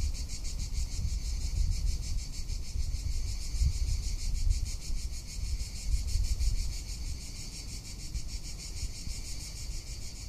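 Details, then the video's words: Cicada calling in summer in Tuscany: a steady, high, shrill buzzing drone with a fine pulsing texture that holds unbroken for the whole stretch, over a low rumble of wind against the microphone. "Cicada or Cigarra - Sounds of summer in Tuscany"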